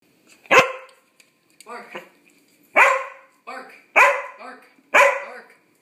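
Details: A pet dog barking indoors: five sharp, loud barks spaced about a second apart, each followed by a softer, lower yelping after-sound, in a quiet room.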